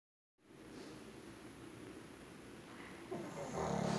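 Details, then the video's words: Sleeping pug snoring, a steady low rasping rattle that pulses rapidly and continuously, growing louder and brighter near the end. "pug roncando"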